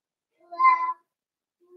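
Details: One clear, tonal half-second whine, steady and fairly loud, from a litter of five blenheim Cavalier King Charles Spaniel puppies romping with their mother Paris indoors; a faint low hum follows.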